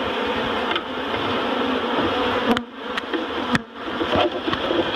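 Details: Intense honeybee hum swelling and dipping as bees are relocated from a barrel to a new home at Miss Bee Haven, broken by several sharp clacks.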